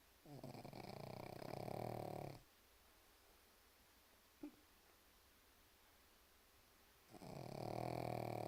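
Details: A pug asleep and snoring, with long raspy vibrating breaths roughly five seconds apart, a quiet gap between them broken by one brief faint click.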